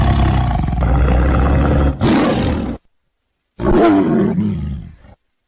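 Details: Tiger roaring: a loud, deep, rumbling roar lasting nearly three seconds with a rougher surge near its end, then a short silence and a second, shorter growling roar that fades out.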